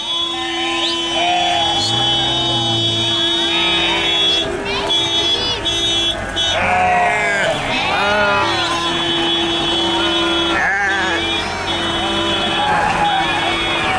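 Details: Sheep bleating, with several wavering, harmonic bleats overlapping one another, busiest in the middle stretch. Steady droning tones like engine or horn noise run beneath them throughout.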